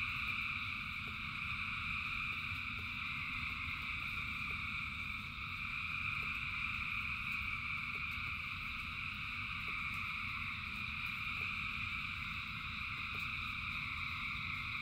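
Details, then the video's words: Thousands of frogs singing in rain: a dense, unbroken chorus of layered, steady trilling tones with no gaps, over a low continuous rumble of rainfall and scattered drip-like ticks. "Frogs in Rain 2 Hours of Frogs, Thousands of Frogs Singing"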